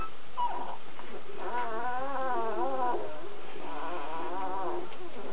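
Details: Young Kuvasz puppies give long, quavering whines. Two drawn-out wavering cries, each lasting over a second, follow a short opening squeak, with a soft murmur underneath.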